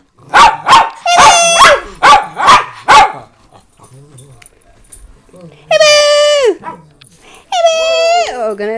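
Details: Rescue pet dogs, four Miniature Pinschers including a barking ten-year-old and a three-year-old fawn Doberman named Roxy, heard indoors: a rapid burst of sharp, repeated barks over three seconds, then two long high drawn-out whining cries, with a woman talking.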